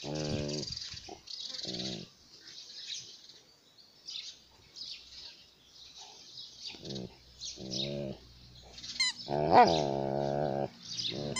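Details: An Alaskan malamute playing with a toy gives short, throaty woo-woo vocalizations and grumbles, with rustling and scuffling between them.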